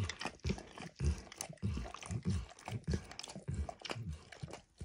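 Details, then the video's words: Dog named Max working his tongue over a bumpy orange lick mat coated with egg and diluted peanut oil; steady slurping laps near a hundred a minute, each a short thudding smack, close and quiet otherwise. "ASMR Dog Licking"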